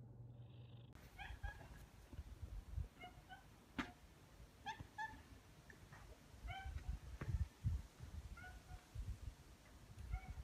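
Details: Former street boss cat, befriended in town in 2014 and retired indoors in 2020, living with FIV-related throat inflammation and newly moved to a room of its own, gives a run of short, harmonic chirping meows in quick bursts over low room rumble.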